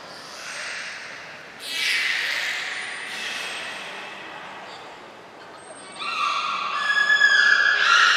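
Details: Beluga in a short training session at Port of Nagoya Public Aquarium, July 2021. A burst of noisy, broad squawking comes first, followed after a quiet stretch by a clear series of high, stacked tonal whistles that grow louder toward the end.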